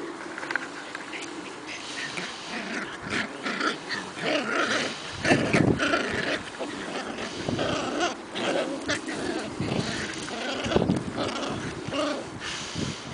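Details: Two Shetland Sheepdog puppies, Croft's I Want It All and Indiana, aged seven and a half weeks, romping together in spring. Scuffling, rustling bursts mix with short growls and higher yelping notes throughout, loudest in the middle.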